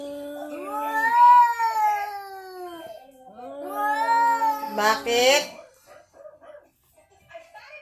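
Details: Visiting cat making a strange sound around Halloween: two long, drawn-out harmonic wails, each wavering and sliding down at the end, then a brief rougher burst and quieter scattered noises.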